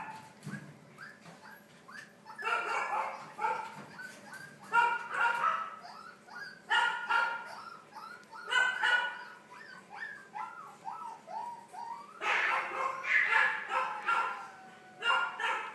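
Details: Young Boston Terriers born on 3 May make a mix of short whines and sharp yaps in irregular bursts, quieter stretches alternating with louder flurries of squeaky yipping over about sixteen seconds.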